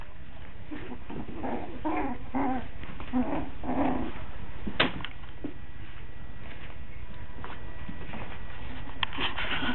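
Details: Coton de Tulear puppies, five weeks old, in Orange, Connecticut, giving short whimpering yelps in a quick series over the first four seconds. Softer scattered squeaks and rustling follow, with a steady low hum in the room.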